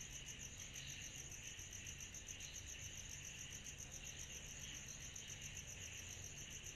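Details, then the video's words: Cicadas chorusing on a summer night: a steady, dense shrill drone with rapid pulsing in a high band and a softer band below, unbroken throughout, over a faint low rumble. "Summer Night Cicadas Sound Effect"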